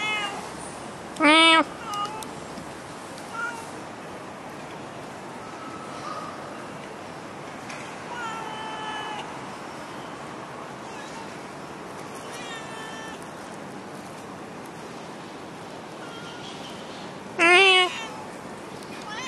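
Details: A stray cat in Singapore meows twice, about sixteen seconds apart, each a short harmonic-rich call, with a few fainter tonal sounds in between over steady background noise.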